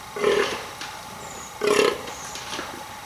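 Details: A vocal fallow deer buck gives two deep, belching groans (burling), about one and a half seconds apart, during the rut as males try to impress females.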